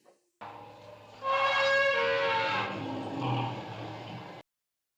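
An elephant trumpets, a loud brassy blare with strong harmonics, wavering then sliding down.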